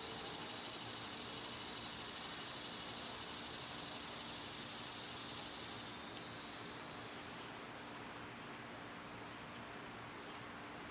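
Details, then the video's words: Cicadas in summer, loud at this time of year: a dense, broad, hissing buzz fills the upper range and then fades away after about seven seconds, leaving a steady thin high-pitched insect whine running throughout beneath the chorus. "Cicada sounds"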